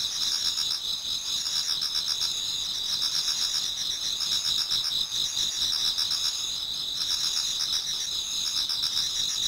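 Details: Toward dawn in autumn, numerous insects sing in a Japanese garden, producing an unbroken shrill trilling wall with quick rhythmic pulses, about four per second, beneath it.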